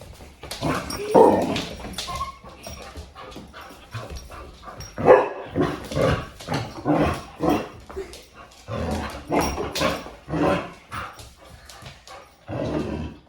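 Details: Bernese Mountain Dog barking in short irregular bursts, several loud broad barks spaced a few seconds apart with softer vocal sounds between, in a domestic setting.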